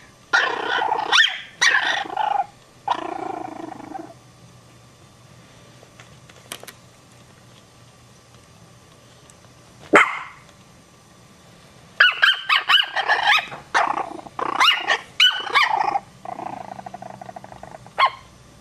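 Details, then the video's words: Scared Chihuahua puppies yipping and barking in quick, irregular bursts, some short and sharp, others drawn out into whiny yelps, with gaps of quiet between clusters and a low steady hum in the background. "Chihuahua Puppies Get Scared"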